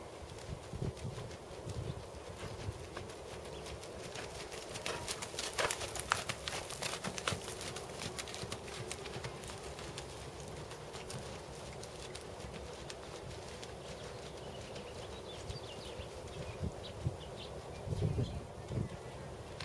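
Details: Hooves of Tobias, a big black 7-year-old Percheron/Thoroughbred gelding schooled at 2nd Level dressage, thud and clop against the ground, with a dense cluster of strikes in the middle and scattered beats around it over a steady low hum.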